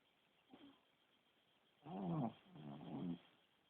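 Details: Sleeping Shih Tzu snoring: a faint short snort, then two loud, gurgling, rasping snore pulses in quick succession, each under a second long.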